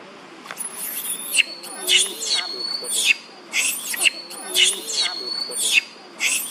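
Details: Baby monkey Bailee cries while her mother Bertha attacks her. Shrill, high screams come in bursts about once a second over a thin steady high tone.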